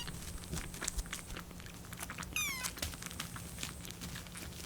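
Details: Lucy, a rescued kitten on its 25th day in care, gives a single short trembling meow with a bird-like vibrato while waiting for milk to cool, amid quiet indoor rustling and a steady low hum.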